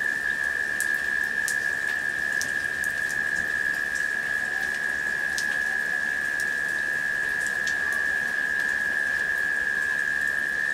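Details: In late summer during a rain shower, cicadas hum in a steady, unbroken drone on one high pitch as rain patters all around.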